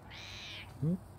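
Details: A mouthy British Shorthair cat gives a brief, low, rising squawk, likened to an angry pterodactyl, after a faint breathy hiss.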